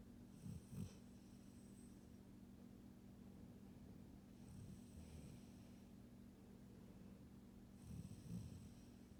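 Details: A female Golden Retriever snores softly as she falls asleep, with low rumbling breaths repeating every few seconds.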